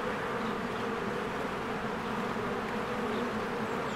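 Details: Swarms of honeybees working at a cozy hive in spring, heard as a thick unbroken buzzing drone with several low humming tones, steady throughout.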